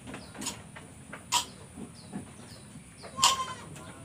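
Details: A goat in Indonesia, ill with a cough, runny nose and laboured breathing, gives two sudden rasping coughs nearly two seconds apart, with softer huffs between and small high chirps in the background.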